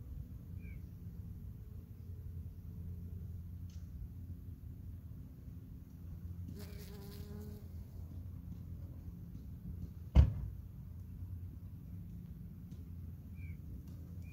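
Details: Honey bees foraging on an artichoke flower in August 2021, a steady low droning hum throughout, with a brief higher buzz midway and a sharp knock near ten seconds.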